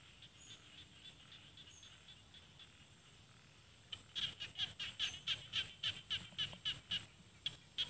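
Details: In Isan rice fields, northeastern Thailand, small field frogs call. After four seconds of faint distant notes, a close frog launches a quick train of sharp, high clicks, about four per second, lasting to the end.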